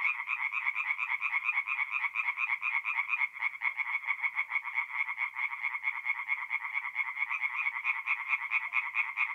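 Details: Tree frogs singing at night in a forest pond in mid-April, North-East Italy: a dense chorus of rapid, rattling croaks pulsing steadily, many callers overlapping into a continuous buzzy trill with no other sounds.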